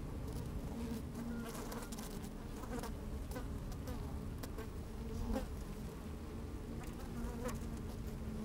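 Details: Busy honey bees recorded from within their open hive on a sunny day: a continuous deep hum, a thin sustained buzzing tone, and sharp clicks as bees shift and crawl.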